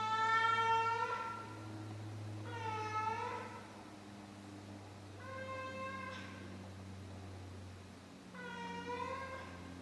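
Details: Four drawn-out, plaintive meows spaced a few seconds apart from a sixteen-year-old female house cat at night, the first loudest, with a constant low droning hum in the room.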